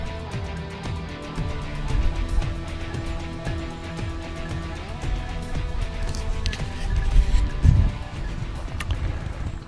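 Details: Music with a regular beat plays over a deep vehicle rumble, with a few brief clatters; no animal voice is heard.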